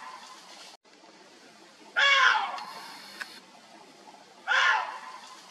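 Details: A water deer, encountered on a birdwatching outing, gives two loud, hoarse, screaming barks a couple of seconds apart.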